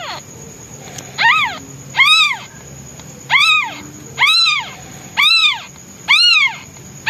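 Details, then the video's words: Hungry newborn white male kitten meowing loudly for its absent mother, who is out hunting food: six loud, arched, rising-then-falling meows about one per second, over a steady high-pitched whine. "Hungry Newborn Kitten Meows Loudly- HE DESPERATELY NEEDS HIS MOM!!!"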